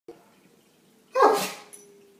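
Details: A male Great Dane tries to howl but gives one sudden, explosive sneeze with a short voiced edge; he sneezes every time he tries to howl.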